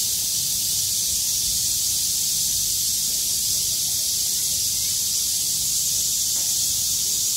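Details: Cicadas that lived through a downpour sing on a clearing day, 6 August 2020, shaking their wings as hard as they can. A loud, sizzling, high drone runs without pause, and soft low rumbles sit in the background.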